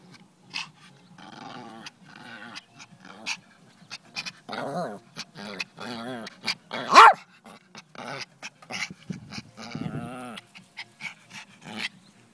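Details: Dog acting oddly indoors makes a run of throaty growls, grumbles and whiny vocal bursts, rising to one loud yelp-like cry around midway, with many short moaning sounds throughout.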